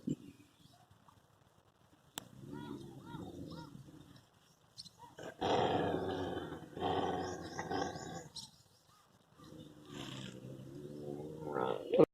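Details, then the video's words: Dogs in a fight give harsh growls and snarling roars, quiet at first, then a loud burst of overlapping snarls and barks in the middle, easing to lower growls before a final sharp yelp; human laughter and voices nearby. "i tried to stop the dog fight"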